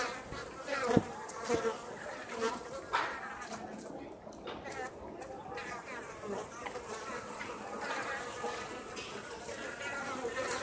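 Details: Japanese honey bees at Osaka Castle, foraging outside the hive on a mild, sunny late-autumn day while the colony readies for winter, hum with a steady, buzzy drone that swells and fades as they fly past; Japanese honey bee.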